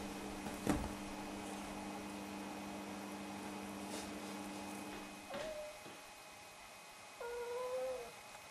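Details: Snowshoe cats, one of two talkative household cats, voicing greetings and requests for a fuss, food or a walk; after a sharp knock, two drawn-out tonal meows follow, the second sliding slightly upward and held nearly a second, over a steady low hum.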